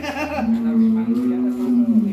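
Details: A huge 'monster' cow kept in its pen for a long time without coming out gives a long, steady, low moo of almost two seconds, after a man's brief words at the start.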